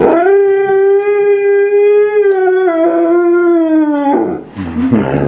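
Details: Domestic dog howling during a trick session with a Siberian husky and a border collie/Pyrenees mix; one long, steady, harmonic howl held about four seconds, sagging slightly at the end, then breaking into brief rougher noises.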